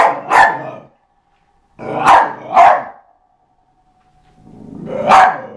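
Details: Eva the dog at play with a skateboard gives sparse, spaced barks, one, then a pair, then a single louder bark after a soft rising rumble.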